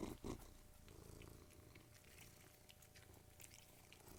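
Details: Domestic cats, three in all, eating and purring: a soft continuous low throbbing purr under intermittent crisp crunching of food, opening with two loud bumps.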